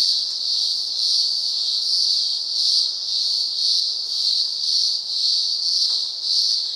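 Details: Cicadas in the upper Blue Mountains, Australia, heard in daylight as a sustained shrill drone rising and falling in regular waves of loudness, nearly two swells per second.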